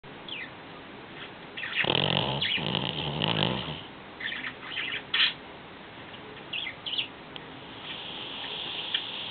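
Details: Cocoa, a 13-year-old Shih Tzu, sound asleep and snoring: two rough, rattling, low snores close together early on, followed by fainter breathy and squeaky snuffles.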